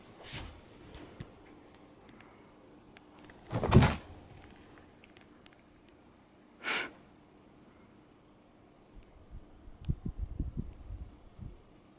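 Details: Soft thumps and knocks sound in a small indoor room, with a few sharp broadband bumps over a quiet background hum.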